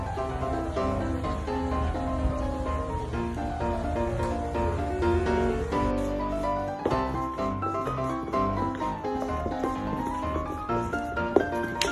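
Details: Piano and bowed strings play a flowing melody with low bass notes throughout, and no animal voice can be heard.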